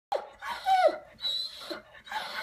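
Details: Dog left at home while his brother is away at the vet, crying out in distress at the separation: a string of high, wavering whines and yelps with stretched harmonic tones, in a small indoor room.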